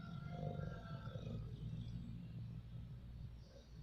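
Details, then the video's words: Sleeping, dreaming dog snoring: a low, steady rumbling drone with soft harmonic layers that swells slightly early and fades a little toward the end, with no other clear sounds. "snoring dog"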